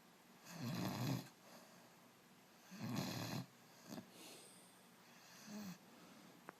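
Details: A sleeping puppy snoring indoors: slow, breathy, low rumbling snores, two long ones about two seconds apart, then softer shorter breaths with a faint final snort.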